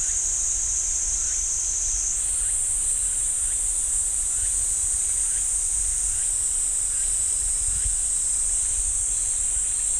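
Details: A cicada chorus in the pine forest of Ssanggyesa temple, Jirisan National Park, rises in pitch after two seconds and holds as a steady high buzz. Faint short chirps repeat roughly every second.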